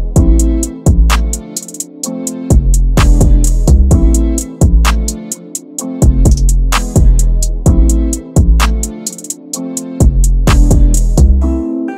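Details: Loud drum-machine and guitar track with heavy bass drum hits in a repeating pattern, with no animal sounds.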